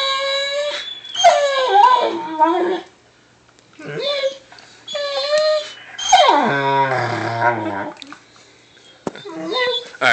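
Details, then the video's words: An excited, provoked Weimaraner howls in drawn-out, wavering yowls that rise and fall, answered by a Labmaraner, before being told to stop. "Weimaraner howling to a labmaraner"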